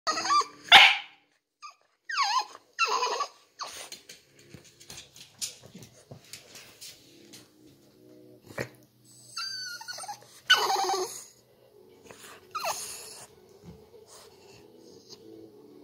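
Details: A male French bulldog gives a series of high, wavering whines and short yips, wanting to get up onto the couch.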